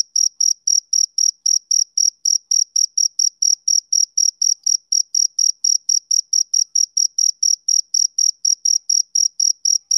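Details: Insistent high chirping of a male cricket, with short bright pulses at about four per second that hold a steady pitch and volume throughout. No other animals or noise are heard.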